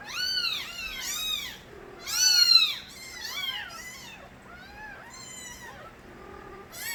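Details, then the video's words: Nabi's stray kittens crying as youngsters, a busy chorus of bright, piercing mews overlapping in quick succession, loudest around the middle, then softer, thinner calls trailing off with brief pauses. "새끼고양이들의 우렁찬 울음소리"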